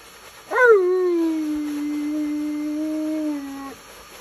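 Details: Male Alaskan Malamute protesting during his bath, giving a single sharp-rising yelp that settles into a long, steady, level moan of about three seconds before stopping abruptly.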